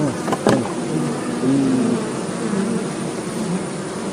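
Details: Stingless bees, locally called mojanti, mishri or nasuri, being caught by a beekeeper at Hebri; a low droning buzz with a brief steadier hum midway over a broad hiss, plus a couple of sharp clicks near the start.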